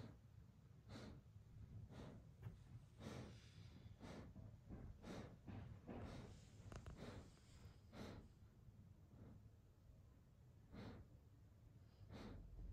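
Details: Sleepy German Shepherd Evo snorts and breathes heavily at an uneven pace, short airy puffs clustered then spaced out, over a soft low background rumble indoors.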